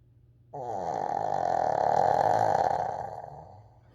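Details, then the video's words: Coco, a 14-year-old Shih Tzu, snoring loudly while asleep indoors: one long, rough, buzzing snore that swells and holds for about three seconds before fading, recorded with a Bluetooth microphone. "무아지경 강아지 코골이"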